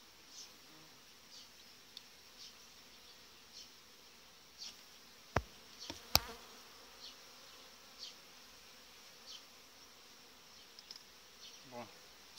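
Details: Strong July honey bee colony with a breeding queen crowding its hive; continuous even buzzing drone, faint high hissing pulses recurring roughly every second, and a few sharp clicks and knocks of handled hive frames midway.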